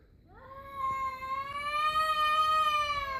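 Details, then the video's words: One of two stray cats facing off, giving a single sustained yowl that swells and climbs slowly, holding a steady, rich, nasal tone throughout its three seconds. "Cat Making Weird Noise"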